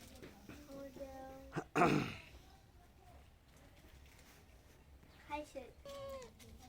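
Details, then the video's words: Pet cat begging for ghee toast indoors: a string of short nasal meows, a sudden loud noisy burst, then quieter drawn-out mews bending downward in pitch, with a woman's voice coaxing nearby. "বিড়ালে কিভাবে টোস্ট খাওয়ার জন্য বায়না ধরে"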